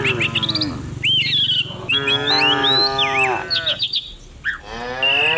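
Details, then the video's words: Dozens of village cows driven down the hill each morning; overlapping drawn-out moos swell and waver, one bending upward near its end, with busy birdsong of quick chirps and whistles above. "Herding dozens of cows down the hill every morning, cow sounds"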